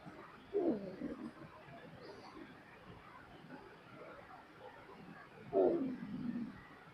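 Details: Dog asleep and snoring, two rasping, rattly snores about five seconds apart, each swelling briefly then fading into a low, steady background hush.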